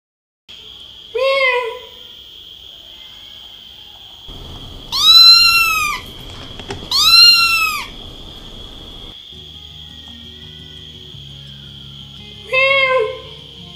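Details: Little Munchkin kitten stuck in a narrow pipe hole during a rescue. Four high, arching, wavering meows are spaced a few seconds apart. A steady shrill whine continues underneath, with a low rumble in the middle.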